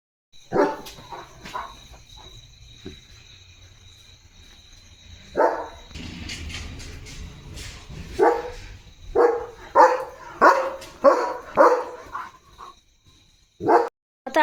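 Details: German Shepherd on barking duty at night: scattered sharp barks at first, a stretch of low rumbling background noise, then a dense run of loud repeated barks ending with two more single barks.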